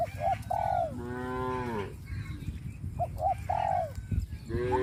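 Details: Cattle herded in rice fields after the harvest on a traditional village farm: a drawn-out, low harmonic moo lasting nearly a second and falling at its end, with another beginning near the close, amid short higher bird-like calls and farmyard background noise.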